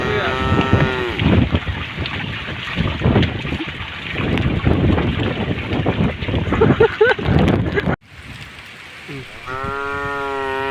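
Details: Tame cow walking through a puddle on a road at the forest edge, mooing briefly at the start and again near the end, with a long stretch of splashing, rumbling and wind noise in between.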